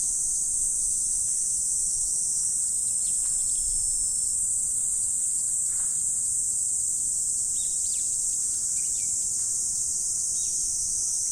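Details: Morning insect chorus in autumn: a continuous piercing high hiss-like trill that never pauses, with a few faint brief chirps scattered underneath.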